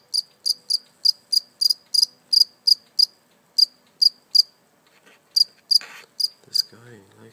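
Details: One live cricket, caught and then let go, gives loud, crisp high chirps roughly three per second, breaking off briefly before resuming, with a short burst of human voice near the end.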